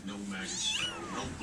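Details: Young kittens indoors: one long, thin mew that bends upward then slides down, under a soft background of voices in a small room.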